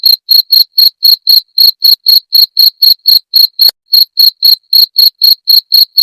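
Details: {'caption': 'A jangkrik, or cricket, sounding its chirp, presented as a rat repellent: a steady train of about twenty-three bright, shrill pulses at roughly four per second, one brief gap midway, clean background.'}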